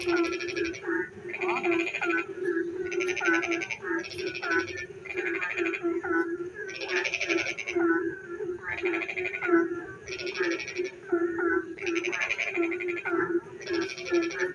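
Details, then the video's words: Frogs singing in the dark night while it rains: loud pulsed, rattling bursts of about one second repeat every one to two seconds over a steady low droning chorus of other callers. "frog singing in the dark night when it rains"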